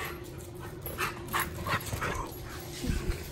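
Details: Male Siberian Husky awaiting adoption, an active dog, giving a run of short, bright whimpering yips about every third of a second, then softer whines, against a steady indoor hum.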